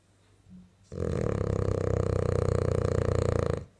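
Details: French bulldog snoring while asleep and dreaming indoors: after a faint short grunt, one long, loud, rattling snore of rapid throaty pulses lasting nearly three seconds, then quiet.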